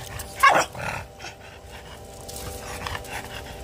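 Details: A French Bulldog angry at the pool net gives one sharp, harsh bark, followed by a quieter hum and a person urging it on.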